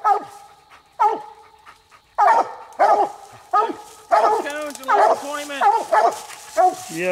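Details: Coonhounds Nite Ch Fit and Nite Ch Cindy bark during a night hunt for a second raccoon. Spaced barks open the clip, then overlapping voices build into denser barking and a long, lower, drawn-out bawl.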